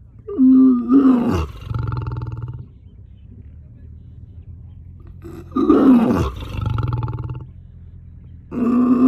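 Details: Zoo lion giving a series of powerful roars, each a strained, groaning onset falling into a rough low rumble lasting about a second and a half; a third roar starts at the end.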